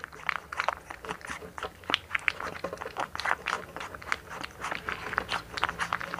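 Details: Eating sounds from a blue one-month-old American Bully puppy, Hunter, in the Philippines: rhythmic crunchy bites and lip smacks repeat several times a second in a small, quiet room.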